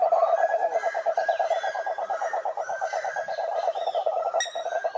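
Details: Chorus of cururu toads, Rhinella marina, at a lake in the Brazilian Atlantic forest: an unbroken, fast-pulsed low trill holding one pitch throughout, with faint higher chirps overhead and a sharp click near the end.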